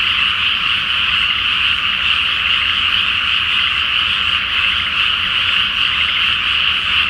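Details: Night chorus of countless frogs in a flooded rice paddy before planting, full moon above; overlapping croaks blend into one constant, high, buzzy hum that holds steady throughout.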